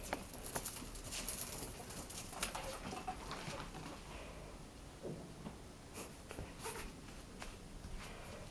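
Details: Excited domestic ferret, described as very hyper, muttering soft puffing 'pu pu' dooks indoors: quiet, short clucking bursts in irregular runs, with scuffling and pattering noises throughout.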